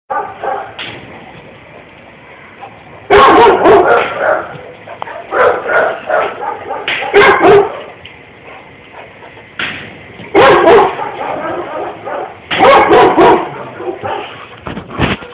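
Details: Pit bull jumping around to see what is going on, giving loud, harsh barks in short irregular bursts with quieter gaps between them; human voices can be heard alongside.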